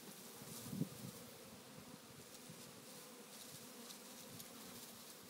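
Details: African honey bee swarm fallen onto the ground, searching for the queen and forming decoy balls to hide her; a steady low, dense hum of many wings, with faint brief clicks.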